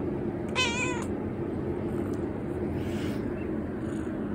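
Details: A young cat, 119 days old, at bedtime with its owner: a single short meow with clear harmonic bands, about half a second long, then quiet room noise with a faint rustle.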